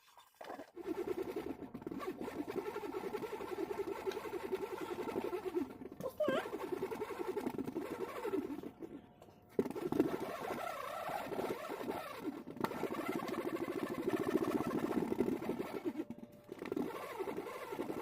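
Honey bees make a steady, low droning hum, broken by a few brief gaps.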